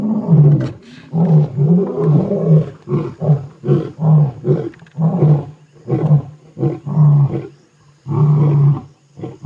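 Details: Two male lion brothers roar at night, around seven o'clock, near Kruger National Park after a giraffe kill: deep grunting pulses, possibly a long-range contact call with a breakaway group of lionesses to the south.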